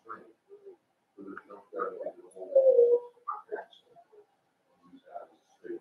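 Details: Daisy's five-week-old Cavalier King Charles Spaniel puppies in their indoor pen make low grunts and short whimpers, then one longer, steady whine in the middle, followed by scattered soft squeaks in a small room.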